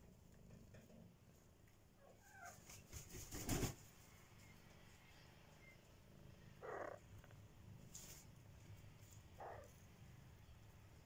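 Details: Three one-month-old kittens purring in a basket: a low, steady rumbling purr runs throughout, broken by a few short, thin mews and some brief rustling clicks.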